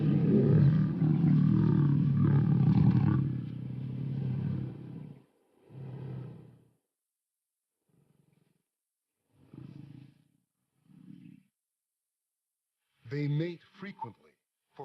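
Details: Wild lions during courtship after a pride takeover, with the new males mating frequently. A loud, deep, rumbling snarl runs for about five seconds, then short low grunts come at intervals, with a few sharper growls near the end.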